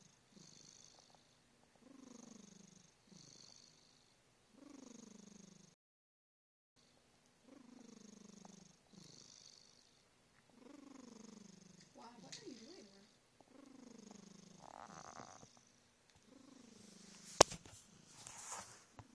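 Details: Smokey the cat purrs while snoring, about a dozen rhythmic breath cycles of low rumbling and sagging snore tones, a brief silent gap early on, then a sharp bump and rustling near the end.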